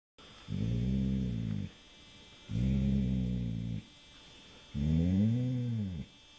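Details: Rudy the dog sleeping in the dark about a week before he died, snoring in three low, rumbling, harmonic breaths, each about a second long, repeating every two seconds or so, with quiet gaps between.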